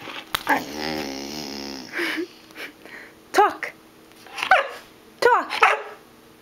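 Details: Black Labrador Retriever puppy asked to talk, producing a drawn-out wavering whine, then a few short, arched yelps spaced about a second apart, while a person keeps repeating the prompt.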